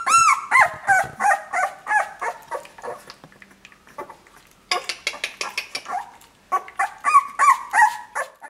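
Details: Two-week-old puppies give a steady run of high, thin whining squeals, each a short rising-then-falling cry, several per second with a brief lull midway before the crying resumes, close and indoors.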